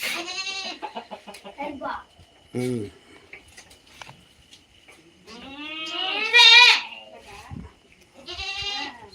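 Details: Native country goats give loud, quavering bleats at the start, middle and end, some rising then falling, with people talking between them.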